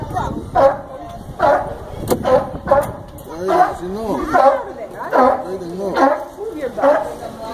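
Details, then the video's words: At the Brookfield Zoo in Chicago a sea lion gives repeated coarse barks about once a second, mixed with clearly audible visitor speech and crowd murmur. "Sea Lion Barking!"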